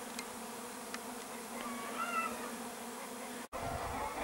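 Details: Bees, recorded 13 July 2015, humming in a continuous drone with a few passing higher tones, interrupted by a momentary dropout near the end.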